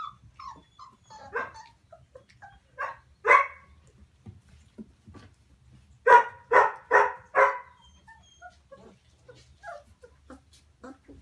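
Maremma Sheepdog puppies give high, yappy barks and thin whines, with a quick run of louder yelps.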